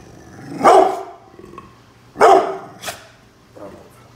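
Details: Bullet, a brindle pit bull, guards the house against construction workers outside, giving two deep loud barks about a second and a half apart followed by a shorter sharp bark and a faint trailing one.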